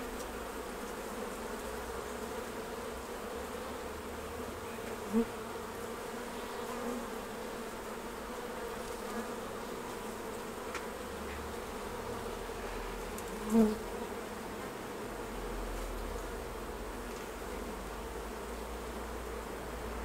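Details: Honey bees at the hives while honey is taken off for harvest; a steady, low droning hum of many wings runs throughout, with two brief sharp clicks at about five and thirteen and a half seconds.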